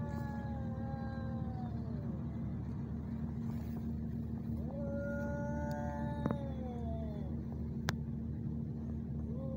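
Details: Two male cats, ginger, fighting in Al Rahmanya, Sharjah, UAE, filmed handheld on a neffos x20 phone camera: drawn-out wavering wails with rich overtones, several separate howls sliding up and down, over a steady loud low hum and a couple of sharp clicks.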